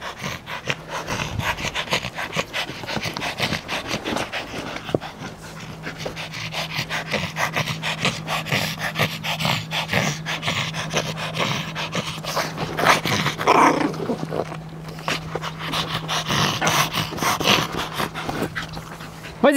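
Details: Small Yorkshire Terrier, overexcited while playing with a ball, pants rapidly and steadily in quick breathy bursts, with scrabbling noises and a person urging it on in French, cheering "vas-y" throughout, plus a faint steady hum.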